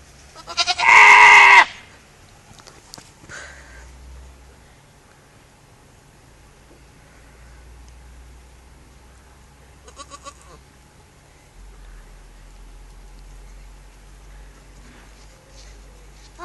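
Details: One loud, buzzy, quavering goat bleat about a second long opens the recording. It is followed by a long near-silent stretch with only faint, scattered sounds.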